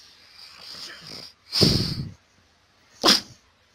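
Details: Pug from a funny dog compilation giving a long, rough snort followed a second later by a short explosive sneeze, with faint murmured speech early on.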